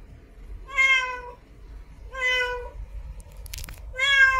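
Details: Three steady, level-pitched meows from a female cat in heat seeking a mate, each about half a second long and evenly spaced, with a brief click or knock between the last two.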